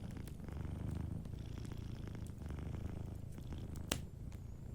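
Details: A sleeping cat's deep, even purr dominates, a dense low rumble in quick regular pulses; a single sharp fire crackle near the end and faint ticking in the background.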